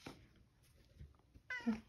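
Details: Elderly male rescued cat eating leftover senior cat treats indoors; small soft clicks and chewing, then one short bright harmonic meow at the end.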